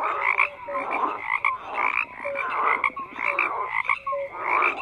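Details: Frogs croaking in a dense chorus, many callers overlapping in pulsed, raspy bursts roughly every second, with short tonal notes scattered between them.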